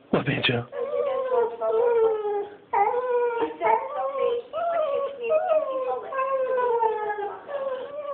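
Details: Banjo the dog cries for his absent owners, who are away in Switzerland: long, wavering, harmonic whines that dip and swoop, following one another with short breaths between, indoors with little else heard.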